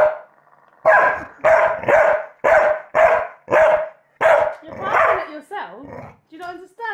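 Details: Male Staffordshire Bull Terrier reacting to a recording of his own barking gives a rapid run of about eight sharp, ringing barks. A human voice follows at the close.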